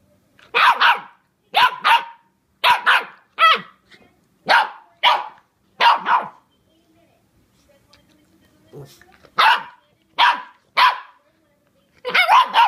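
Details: A 13-week-old Shiba Inu puppy, biting a brush, gives a run of short, sharp, high yapping barks with a brief pause midway.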